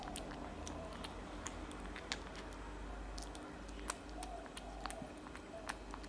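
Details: Tabby cat eating cat food, loud eating: sharp wet clicks and smacking bites scattered irregularly over a soft steady low hum, some bites close together, others spaced about a second apart.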